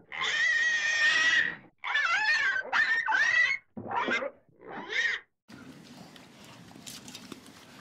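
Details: Pig giving a run of loud, shrill squeals: a long sustained scream first, then several shorter wavering squeals broken by brief pauses, ending after about five seconds in low, steady background noise.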